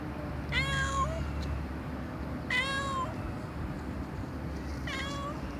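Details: Domestic cat meowing loudly, three drawn-out harmonic meows about two seconds apart, each sliding slightly upward before fading, over a steady low rumbling hum in the background.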